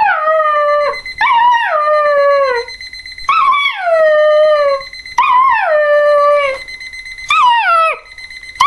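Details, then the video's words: Border Collie puppy Revel howls at an alarm clock, four drawn-out descending howls with short breaks between, roughly one every two seconds, the clock's beeping audible throughout. "Border collie puppy meet alarm clock"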